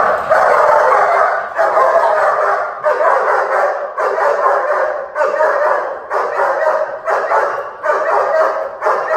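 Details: During protection training, a dog barks in long, rough, overlapping volleys, each lasting roughly a second, about seven in nine seconds, loud and forceful with barely any gap between them.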